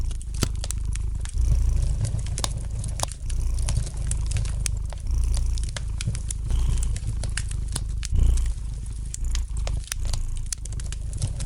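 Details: A domestic cat purrs gently beside a crackling fireplace. The low, pulsing drone swells and eases with each breath, every couple of seconds, while bright snaps and pops of burning wood scatter throughout.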